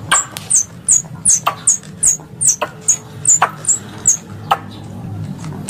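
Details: Hunting-lure squirrel sound: a steady run of shrill, falling chirps, roughly two or three each second, mixed with dry clicking ticks over a faint low background rumble.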